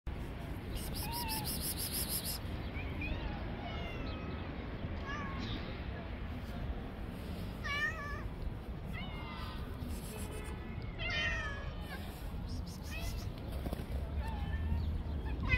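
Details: Street cats, one described as having psychological problems, attacking and fighting other cats; scattered short harmonic meows and rising wails, some in quick bursts, over a steady low rumble of outdoor traffic noise.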